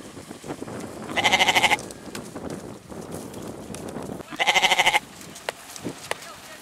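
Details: Two quavering goat bleats about three seconds apart, each a vibrating cry of roughly half a second, over a low murmur of background noise with a few faint clicks.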